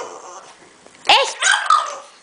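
A French Bulldog answers its owner with a bendy, whining yowl that swoops up and down, then a couple of shorter moaning notes. A person's voice is faintly heard before the dog starts.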